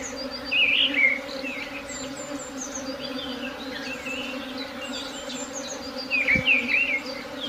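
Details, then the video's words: Steady droning hum of a swarm, unchanging in pitch, with two clusters of sharp, high chirping bird calls, one early and one late, and a single knock shortly before the end. "Swarm buzzing sound"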